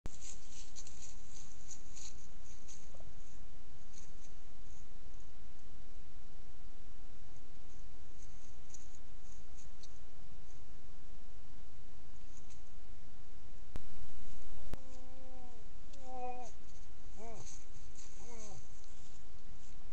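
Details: Moose during the rut, wild in the bush, caught by a heat-triggered trail camera near a limping cow: after a long stretch of steady hiss, a short run of descending, harmonic moaning calls comes from about fourteen to nineteen seconds, each under a second long.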